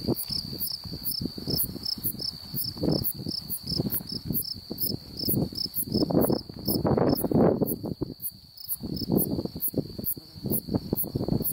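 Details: An unidentified insect calls in Beaver County, Oklahoma, on July 8, 2019: a steady, high, continuous buzzing trill, with faster ticking pulses above it and wind rumbling below.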